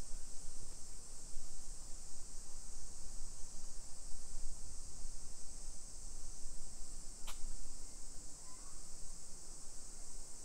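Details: Summer cicadas in a hillside residential neighbourhood of Nisshin near Nagoya, Aichi Prefecture, Japan, at 1 PM on 28 July 2021, make a continuous high, hissing drone that never pauses, with low street rumble and one sharp click midway.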